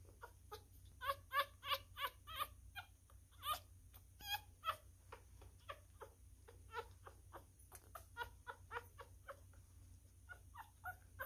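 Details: Newborn miniature schnauzer puppy, a male, being hand-fed and eating messily: rapid thin squeaks and whimpers mixed with wet sucking clicks, several per second in irregular bursts, in a quiet indoor room.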